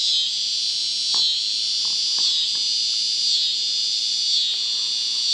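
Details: Cicadas in southern Missouri drone in a steady, high, hissing buzz that swells gently about once a second, a near-constant sound there for weeks at a time.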